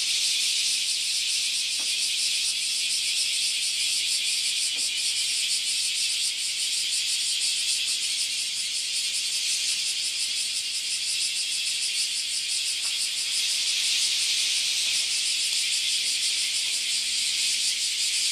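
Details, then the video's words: Cicada invasion at a Japanese farm house: a loud, continuous high-pitched shrill buzzing drone fills all eighteen seconds, steady with slight pulsing, and a few faint clicks underneath. "LOUD Cicada Invasion at the Japanese Farm House"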